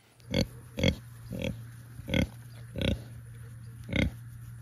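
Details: A pig on a family farm, at morning feeding time, gives six short, deep grunts, roughly one every two-thirds of a second, over a steady low hum.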